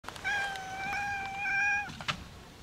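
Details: Domestic cat, a brown tabby and white with a kinked tail, meowing at someone's feet indoors: one long drawn-out meow of about one and a half seconds, steady then falling at the end, followed by faint clicks.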